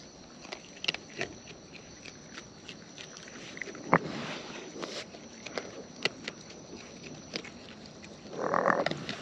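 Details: Wild raccoons eating up close, with sharp wet clicks and crunches scattered through the clip, one louder snap near the middle, and a short rougher burst of noisy sound toward the end.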